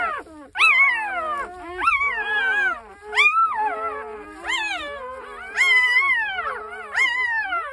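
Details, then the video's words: Young puppy in the countryside howling in a series of about six sharp-onset, high whining cries, each rising quickly then sliding down in a long wavering tail, separated by brief pauses. "시골 새끼 강아지"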